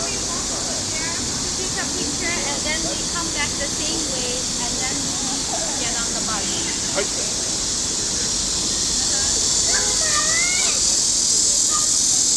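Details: Cicadas calling from trees by the lake at Huangzhou: a steady, dense high-pitched hissing drone that runs unbroken throughout, with people talking over it now and then.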